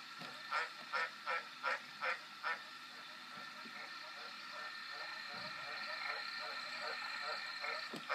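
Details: A green tree frog gives six quick, regular nasal croaks in the first few seconds, then falls silent while a low steady hum and faint background noise continue.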